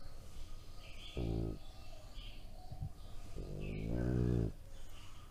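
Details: Three-year-old male French Bulldog making funny pig-like grunting sounds: a short low harmonic grunt near one second, a faint brief sound later, then a longer, louder rough grunt lasting about a second, over quiet room background.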